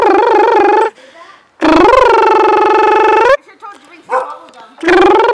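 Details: Duncan, a Border Collie (Parker x Vallen) from Bellaclan Border Collies, gives long, wavering, high-pitched whining howls. The first runs about a second and the next about two seconds, with a person talking softly in the gaps.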